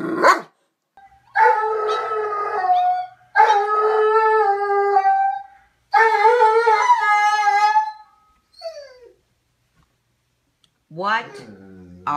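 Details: Doberman named Leo howling: three long sustained harmonic howls of about two seconds each with short gaps, then a brief falling whine and a final rising yelp, a person's voice close by.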